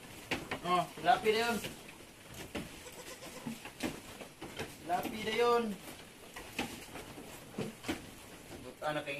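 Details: Anglo-Nubian goat kidding on a farm in San Carlos City, Negros Occidental, Philippines, with seven kids born in a day; two short, nasal, quavering bleats arrive about four seconds apart, each bending downward, amid human voices and clatter.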